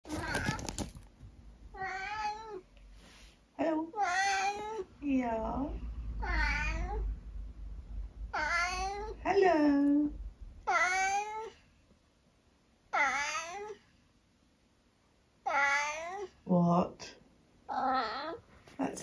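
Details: Tabby cat indoors giving a long series of drawn-out, wavering meows, several rising then falling, some with a throaty edge, with pauses between, while a person talks back to it in a small room; brief music at the start.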